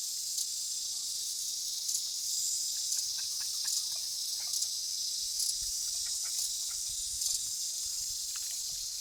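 A cicada's steady, high-pitched hissing buzz drones on without a break.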